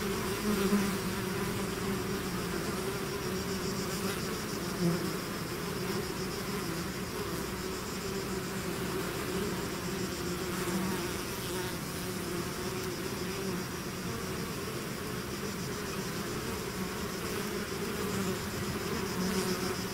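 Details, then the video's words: Long stretch of a bee swarm flowing out of its hive, a uniform buzzing drone of countless insects with occasional louder close passes, steady and unbroken for the whole span. "bees therapy swarm natural buzzing sound"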